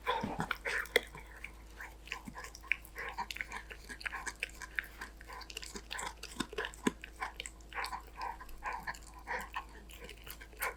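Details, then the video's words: A Golden Retriever called Danbi eats snacks with steady, busy crunching. Dense bursts of biting and grinding run almost without pause, and the odd louder crack stands out. "강아지 먹방 | 골든 리트리버 강아지 단비"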